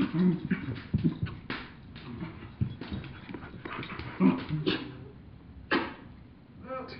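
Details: A two-year-old mini Aussie and a one-year-old chihuahua play fighting; rough low growls and grumbles in short bursts, sharp thuds and scuffles between them, uneven rhythm across the whole stretch.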